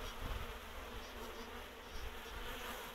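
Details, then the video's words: Swarming honey bees moving into a new beehive, a third swarm from one hive carrying four queens; loud, thick buzzing with heavy low rumble, swelling and easing in uneven pulses. "Рояк от пчели=swarming=essaim"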